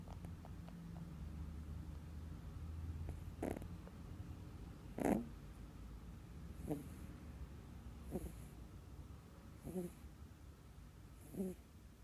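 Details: Moko, a pet rabbit, snoring while asleep indoors: short breathy, rasping snorts come roughly every one and a half seconds, six or seven in a row, over a low steady background hum.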